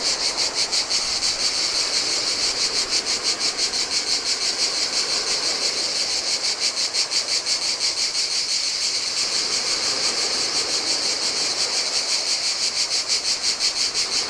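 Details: On a lonely beach of a Greek island, cicadas sing in the heat. Their high, grating drone beats evenly, roughly three pulses per second, and gentle Adriatic surf murmurs underneath.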